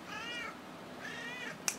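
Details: Bunsen, a pet cat, says hello on command with two clear harmonic meows, each rising then falling and about half a second long, followed by a brief sharp click.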